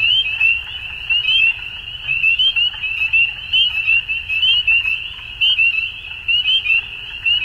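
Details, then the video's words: Dusk frog chorus: shrill, closely packed trills from many callers form a continuous band, pulsing in louder bursts roughly once a second, about 65 a minute. "Frogs At Dusk"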